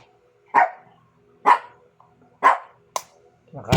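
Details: Pet Shih Tzus indoors, noisy while their dinner of squash is being prepared; sharp single barks repeat about once a second, four clear barks, then a louder mixed bark at the end with faint kitchen sounds.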